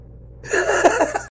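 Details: A talkative house cat answering when asked if it wants food: one wavering, voiced meow lasting under a second, rising then breaking into a few quick inflections, like human chatter, indoors in a small room.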